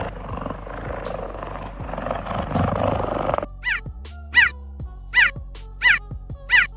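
Cheetah giving high, bird-like chirps, each a quick sharp yelp repeated about every second.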